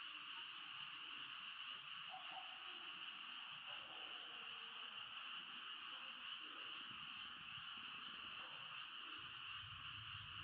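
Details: Frogs calling together at night near a camping tent, forming a steady, continuous high-pitched chorus, with faint low croaking notes and rustling mixed in below.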